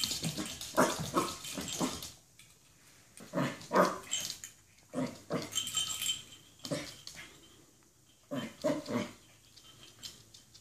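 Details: Poodle scared by a cat toy that attacks it, giving short sharp yelping barks in quick bursts of three or four, separated by brief pauses, indoors.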